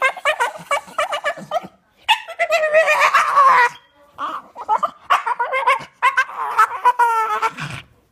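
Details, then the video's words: Staffordshire Bull Terrier expressing its wish to play: rapid, gurgling, warbling grumbles and yodel-like moans in bursts of one to two seconds, with brief pauses between them. "Un chien fait de drôles de sons"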